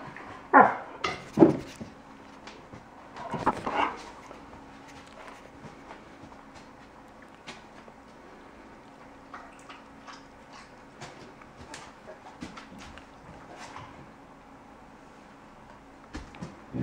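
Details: Alaskan Malamute puppy, five months old, indoors, whimpering and barking at oven mitts: a few short sharp yelps and barks early on, then quieter scattered whines and scuffling sounds in a small room.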